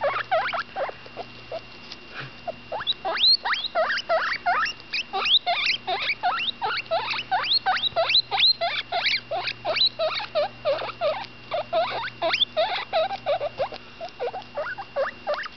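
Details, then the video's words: Ten-day-old female guinea pig pup Butterscotch calls with her mouth full during a meal, giving a dense, hurried stream of short upward-sweeping squeaks, several per second, some overlapping, over a low constant hum. "My baby cavy butterscotch making noise"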